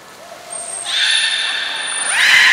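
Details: Captive belugas Taanya, Nana, Mirai and Niko in training at Port of Nagoya Public Aquarium, 11 July 2020; a harmonic, buzzy squeal that steps upward near its end, with a thin high trainer's whistle above it.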